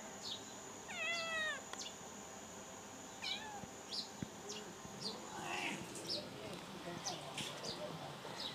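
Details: Domestic cat giving a short arched meow with a rising then falling contour, followed by scattered clicks, rustles and faint higher squeaks against a steady high-pitched electronic whine.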